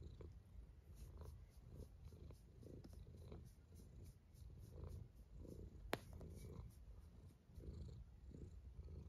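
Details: Soft, grumbling snore of a sleeping cat, low and continuous with faint breath pulses and one sharp click.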